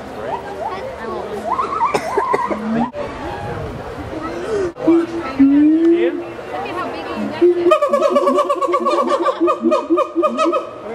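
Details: Siamang gibbons at Miami Metrozoo howl in loud, rising whoops that build into rapid repeated barking notes, resonated by the throat sac, with people talking nearby; a sound is made when they breathe in.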